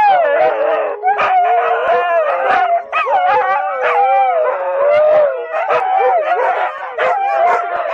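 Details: Several watch dogs howling loudly together in a chorus of wavering, overlapping tones that rise and fall, punctuated by short yips and barks throughout.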